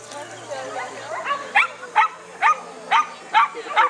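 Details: Chinese Crested dog Netty z Haliparku in a beginners class agility competition at Mladá Boleslav, 9 May 2009; after faint murmuring, six short yapping barks about every half second.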